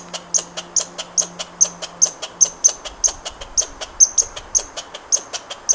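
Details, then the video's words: Rapid, steady series of bright clicking chips from a squirrel, several per second without pause; a faint low hum runs beneath the first couple of seconds. "Squirrel sound"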